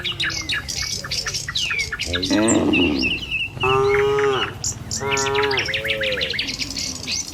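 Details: Morning in a village as dozens of tame cattle file along the road toward the pen; three loud moos in quick succession, rising then falling, amid constant chirping and tweeting of birds.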